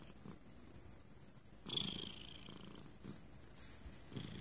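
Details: A stray cat sitting on a person's lap purring very loudly, a steady low rumbling purr with a louder rustling burst in the middle, faint breathy pulses repeating throughout.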